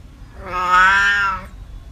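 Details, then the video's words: Single cat meow, part of a compilation of cats and kittens meowing: one smooth, sustained harmonic call of about a second, swelling in loudness and holding steady before stopping cleanly. "Cat meow sound effects 30 minute relaxing noise calming kitten meowing sounds"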